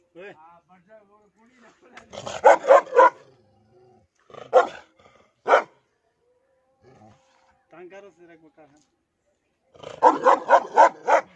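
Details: Dog showing aggression towards its owner, bursts of rapid harsh barks alternating with quieter stretches of human voices and softer vocal sounds.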